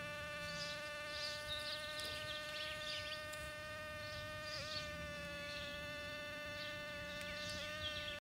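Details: Back-yard bumblebees during mating: a constant steady drone with a single brief pitch dip midway, over soft background rustle and scattered high chirps.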